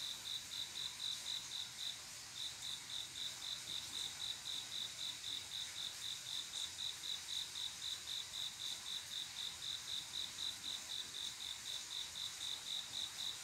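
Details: Cricket song from a still midsummer night, the male's love song to a female: rapid high pulses at roughly four per second, a brief pause near two seconds, then the even chirping resumes against a faint insect chorus.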